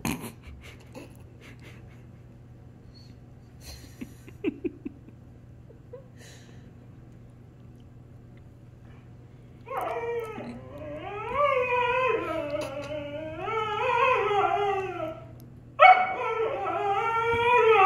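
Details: Siberian Husky, six months old when adopted, arguing with a German Shepherd housemate indoors; after ten quiet seconds a drawn-out wavering howl-like vocalizing begins, rising and falling in long bends, breaking off briefly then resuming.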